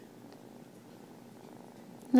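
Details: Three-month-old Turkish Van kitten purring. A steady, low, rumbling purr continues evenly throughout, ending in a brief loud burst of voice.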